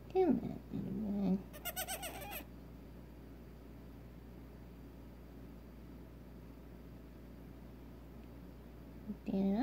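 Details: Newborn Nigerian Dwarf goat kid, a doe barely six hours old, bleats once in a tremulous, quavering burst during syringe feeding of colostrum, with a human voice talking before and after.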